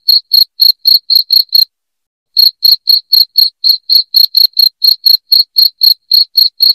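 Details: Shrill cricket chirps in an even fast train, about four per second, broken by one silent gap of nearly a second before resuming; loud and high, used to scare rats from a home.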